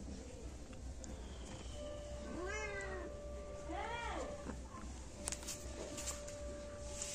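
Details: Kittens roughly one month old, two of them living in a yard, mewing over a steady humming tone and noisy outdoor background; two high arched meows follow each other closely, then scattered clicks and knocks.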